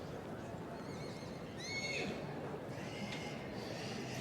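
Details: Three-year-old Welsh Cob filly shown at a show ring: a short, clear, harmonic whinny bends down after a brief rise, with another fainter call later, amid constant background murmur from the showground.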